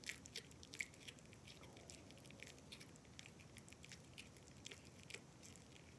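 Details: A Japanese Maltipoo chews, making soft, irregular crunching and clicking sounds up close.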